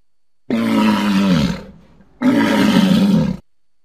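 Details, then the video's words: Two long, throaty roars from a walrus, each about a second long with a steady low hum and rough upper tone, the first tailing off into a quieter groan before the second begins. "Walrus sounds"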